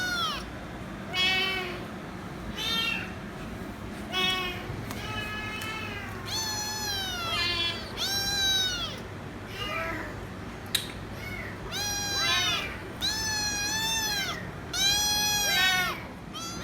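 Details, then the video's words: Insistent kitten meowing nonstop until given head rubs; a rapid series of around a dozen arched, harmonic meows, some short and some drawn out, over a faint background hum. "Noisy Kitten Meowing So Loud & Won't Stop Screaming Until I Give Head Rubs"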